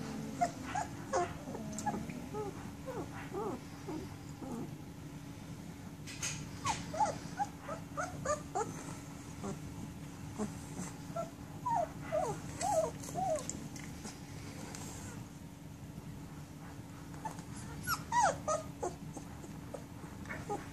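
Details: Litter of German Shepherd puppies, sixteen days old, giving many short, squeaky whimpers and yips scattered throughout, mixed with rustling and clicks over a constant electrical hum.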